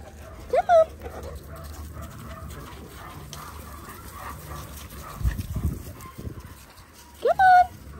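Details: Linc, a baby Australian cattle dog puppy, playing with big puppies in a dog paddock; two sharp, high rising yelps, one near the start and one near the end, with soft rustling and murmuring between them.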